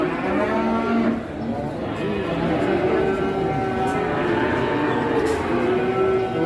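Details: Cattle at a busy Indonesian livestock market, where two very large cattle have arrived. Several overlapping low, drawn-out moos with slowly rising and falling pitch carry over a steady crowd murmur.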